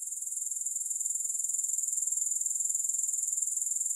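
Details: Grasshoppers in a continuous, high-pitched shimmering trill made of rapid, evenly spaced pulses, steady in loudness throughout, with no other sounds.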